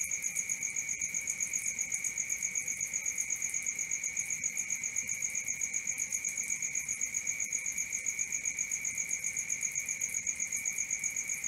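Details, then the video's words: Nighttime crickets producing a ceaseless high-pitched pulsing chirp, about four beats per second, with a second lower tonal band running underneath and nothing else audible. "Cricket 1 hour for Sleeping & Relaxation"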